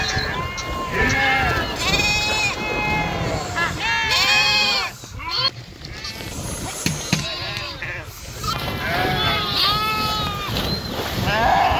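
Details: Sheep swim across the Krishna River, bleating in dense overlapping bursts of short arched calls, briefly pausing near the middle, with rushing water and human voices heard alongside.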